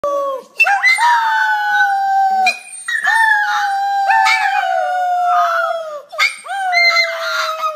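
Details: A pet dog 'singing' indoors gives long, wavering howls. Each starts with a sharp upward slide and then holds a steady tone for one to two seconds, with short breaks between phrases.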